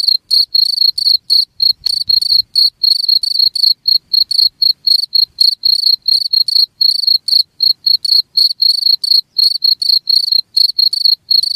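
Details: Cricket song made of bright, high-pitched chirps in a fast, steady series of about four per second. A faint low thump is heard near the start, with no other sounds.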